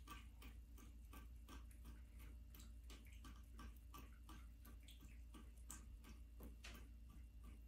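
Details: Midnight, a female black American Shorthair cat, drinks from the running bathtub faucet indoors on January 21, 2023. Soft, quick lapping clicks repeat steadily over the constant hiss and splash of running tap water in a small bathroom.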